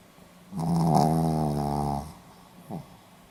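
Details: Pomeranian asleep and snoring, Hiroshima, 4 November 2015: a loud rasping inhaled snore lasting about one and a half seconds, followed by a brief soft snort.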